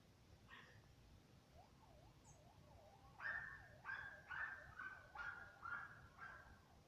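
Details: German Hunting Terrier, a hunting dog breed, giving a run of sharp, strained yelping barks about twice a second in the second half, preceded by a wavering, siren-like whine; a quiet hiss sits underneath.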